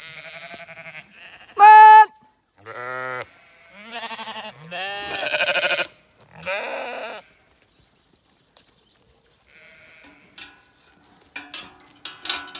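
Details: Zwartbles sheep on an Irish regenerative farm in County Kilkenny are herded to fresh pasture. Many bleats of differing pitch follow one another, one loud and steady, others shaky and overlapping, then a quieter stretch with rustling and clicks.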